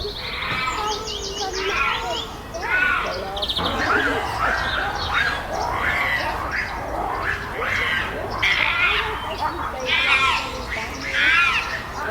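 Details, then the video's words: Captive chimpanzee group at Chester Zoo's Chimp Island during fights and displays after a new baby arrived, alpha male Carlos keeping order; loud wavering screams and hoots rise and fall in rapid overlapping bursts, while small birds chirp in the background. "The Chimps Making More Noise Than Ever!"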